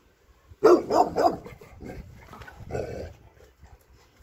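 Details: Dog named Sofia on her birthday, filmed 20–22 June 2023 as she is called over to her presents; three quick barks in a burst, then a shorter fourth yelp after a pause, with a low rumble between.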